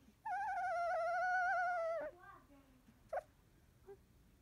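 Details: Sixteen-day-old field-type Labrador Retriever puppy after nursing: one steady, clear, high whine held almost two seconds, then faint squeaks and a brief click-like knock in near silence.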